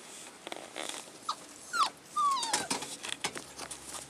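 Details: Collie puppies 35 days old, filmed 16 February 2012, give a few brief high whimpers, short falling squeals, among scattered clicks and rustling noises.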